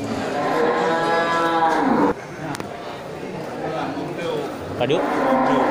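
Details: Jumbo local cattle, traditionally fattened, at the Geurugok livestock market in Bireuen, Aceh, 13 July 2021, ahead of Qurban; a long, full moo falls away over two seconds, then crowd murmur and a second moo starting at the end.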